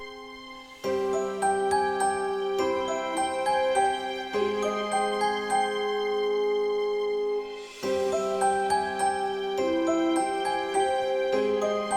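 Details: Soft background music of chiming, bell-like notes over sustained tones, with no animal sound present.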